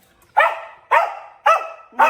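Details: Pomeranian dog barking indoors: four sharp, bright yapping barks in quick succession, each about a third of a second apart, loud and harmonic-rich, with no speech over them.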